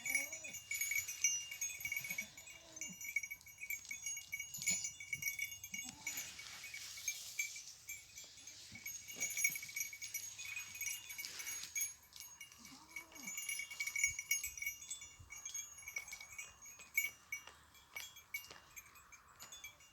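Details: Goats out in nature: short, low, arching calls recur every couple of seconds, half hidden beneath a steady tinkling of many small bells.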